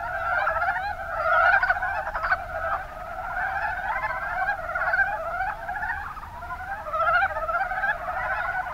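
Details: Mountain brown frogs calling together in the Kuma Basin, Kumamoto, Japan. Rapid, throaty pulsed croaks overlap steadily throughout, with louder bursts standing out every second or two.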